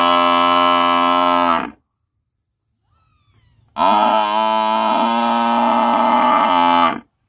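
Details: Buffalo giving two drawn-out, rich, nasal bellows, a short one followed by a longer three-second call that wavers slightly in pitch, with a quiet pause between them.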